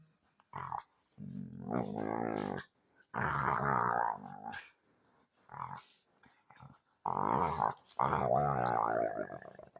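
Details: Pet dog in full fierce mode indoors, giving a run of rough, drawn-out growling vocalizations and yelping barks in bursts of one to two seconds with short pauses between them.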